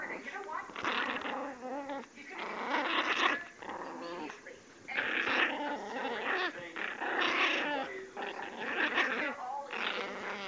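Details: Angry female puppy growling in a high pitch, harsh raspy bursts repeating about every two seconds with brief pauses between, a human voice faintly present.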